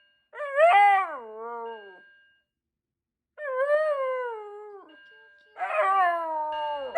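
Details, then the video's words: A Shiba Inu reacting to a fire alarm lets out three long, wailing screams, each rising sharply then sliding down. "Shiba Inu Screams at Fire Alarm"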